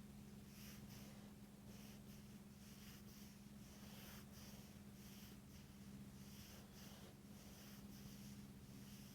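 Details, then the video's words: A dog named Laila snoring while asleep indoors: soft, breathy rasping snorts come in clusters roughly every second or two, over a steady low electrical hum in a quiet small room. "Laila snoring"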